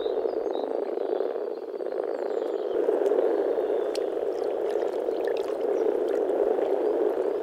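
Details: Chorus of frogs at a pond or wetland in the Czech Republic in spring, a low throbbing croak building in density after a quieter start, with faint distant bird chirps overhead.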